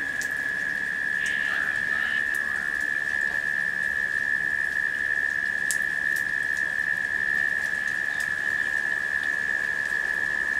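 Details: Cicadas in late summer hold a steady, unbroken high drone at one pitch during a rain shower, with steady rainfall hissing and pattering and a few sharper drops standing out.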